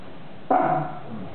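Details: Six-week-old Shiba Inu puppy at a veterinary check in Belgium, from a litter born June 13th 2010, gives a single sharp yelp that starts abruptly and fades over under a second against low room hum.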